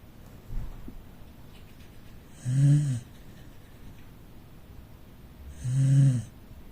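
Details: Corgi rescue dog dozing in the living room gives two deep rattling snores about three seconds apart, after a faint brief tap, with quiet room tone between breaths.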